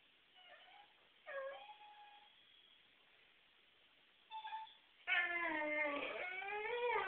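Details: Whippet whining after being kept away from the trash can: a few short, high, falling whimpers, then a long wavering, strongly harmonic whine over the last two seconds.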